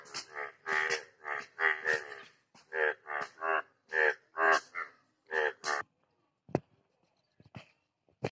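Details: A frog calling in the rainy season gives a run of short, harsh, nasal croaks, repeated about once a second, then a few sharp clicks.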